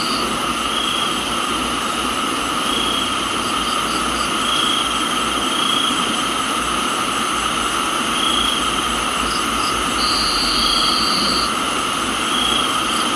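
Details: Rain and crickets recorded in a Thai tropical garden: continuous shrill insect drone, soft buzzy pulses recurring about every two seconds, and one sustained high trill lasting over a second near the end, under a dense rain hiss.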